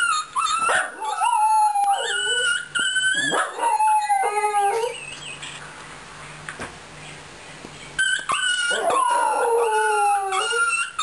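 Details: A Fox Terrier named Kara sings in long, wavering howls that slide up and down, broken by short yips.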